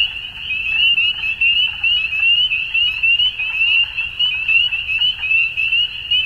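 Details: Frogs at dusk keep up a dense high trilling, countless rapid pulses layered into one even wall of sound that rises and falls slightly in volume.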